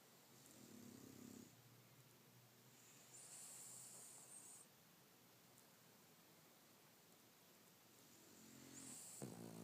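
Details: French bulldog snoring while asleep, slow raspy breaths with a wheezy hiss on each intake, three snores spaced several seconds apart in a quiet room.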